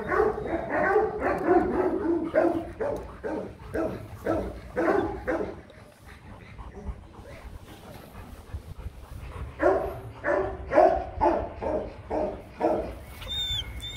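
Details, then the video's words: Mating Rottweiler pair Loki and Siro: heavy, rapid panting in steady bursts about twice a second. It breaks off into a quieter stretch midway, then resumes loudly near the end. "Lấy giống chó: Ngã ngửa mấy lần mới phối giống xong Loki &Siro mating"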